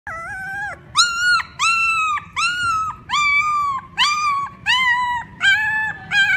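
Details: Puppies crying for their mother: a run of about eight high, whining cries, each held under a second with a flat or gently falling tone, coming roughly once a second in a quiet indoor setting.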